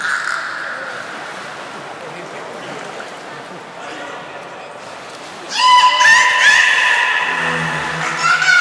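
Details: Beluga at Port of Nagoya Public Aquarium during training with Nana and Nico, 7 October 2018: faint hall ambience at first, then a loud, harmonic rising squeal breaking in after five seconds and running on, with a low buzzy undertone.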